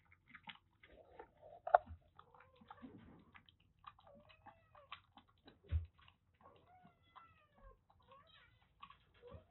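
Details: Two affectionate female kittens, about three and a half months old, rescued from a sweltering attic in Kagoshima, Japan. They give soft, short, irregular mews and squeaks, some rising and some falling, mixed with quiet chewing and small indoor noises.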